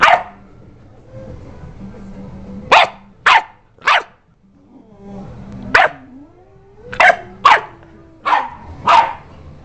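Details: Sadie the dog lets out spaced, punchy barks, about nine in all, while Coach keeps chilling. Low humming background, a soft wavering tonal sound between bursts, and a final cluster of quick barks.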